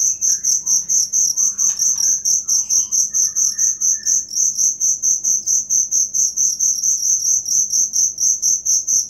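A cricket chirps steadily, a high, shrill trill pulsing in a fast, even rhythm.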